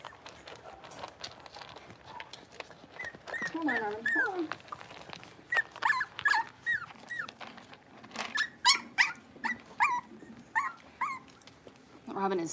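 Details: Blenheim Cavalier King Charles Spaniel puppies, a litter of five at six weeks old in a home puppy pen, giving repeated short high whimpers and yips with rising and falling whines, several per second, with human speech and handling noises between.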